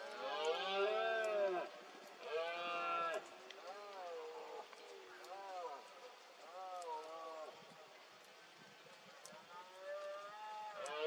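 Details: Red deer stag roaring during the 2022 rut in Cantabria, Spain, among fog: two loud, deep, harmonic roars, then a run of fainter arched, moaning roars repeated every second or so, with a quiet outdoor background.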